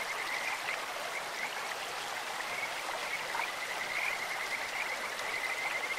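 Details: Kajika frog in a clear mountain stream, its voice sweet and birdlike: faint rapid pulsed notes at a fixed high pitch, strongest around four seconds, half-buried in steady broadband water rush.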